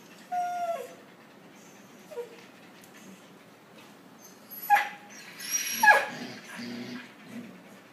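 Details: Puppies interacting with one another: thin, whining whimpers with bright overtones, one drawn-out cry near the start, a faint short yip around two seconds, then two sharper, falling whines close together midway, over a steady low hum.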